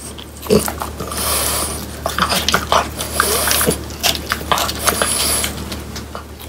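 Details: French Bulldogs Pang, Kun and Ppo eating whole quail that was cleaned and dried by hand, indoors. Sharp, crunchy bites crack the bones in irregular bursts over a steady low electrical hum.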